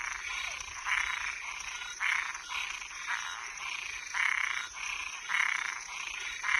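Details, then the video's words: Night chorus of toads and tree frogs, harsh rasping croaks pulsing roughly once a second, some overlapping, with a constant thin high whine behind them. "Som de animais noturno Sapo e perereca"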